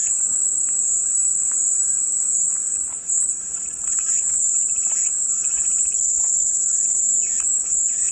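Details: Shrill cicada buzz sustained without pause, dipping briefly near the three-second mark before resuming at full strength; scattered faint twittering sits beneath the constant high whine.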